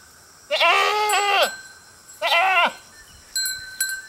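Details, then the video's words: A herd of goats grazing beside a road gives two loud, wavering, harmonic-rich bleats, each about a second long with a short pause between, followed by faint clicks. "Goat Sound Effects"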